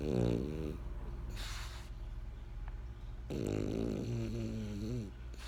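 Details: Snoring from Benjamin, a French Bulldog: a short rasping snore, a soft airy exhale, then a longer wavering rattle with a rising and falling buzz, in a quiet room.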